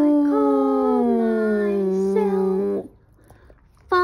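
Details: A Boston Terrier howls along to the song "Do-Re-Mi" with a long, wavering howl that slowly falls in pitch, then breaks off.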